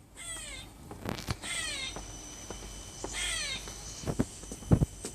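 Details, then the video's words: A squirrel gives three harsh, squealing calls, sounding like a bird and falling in pitch, about one and a half seconds apart, with a few knocks and a faint steady high whine. "Squirrel making a bird noise"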